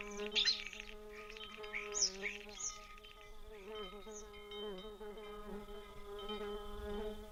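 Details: In Zion National Park, a bee gives a steady, low droning buzz that wavers slightly in pitch, while bright metallic cowbell tones and a few high chirps ring over it.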